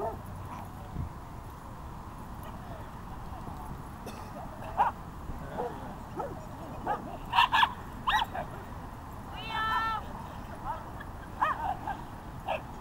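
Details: Basset Hound puppy meeting another dog, Annabelle, at a dog park: short sharp barks and yips scattered throughout, with a higher whining yelp near the tenth second, over steady outdoor background noise and faint human voices.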